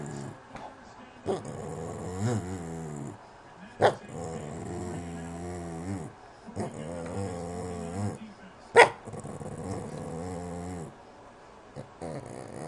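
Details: Boston terrier whining: several drawn-out, wavering, low harmonic moans of one to two seconds each, rising and falling in pitch, separated by short pauses and a few sharp clicks.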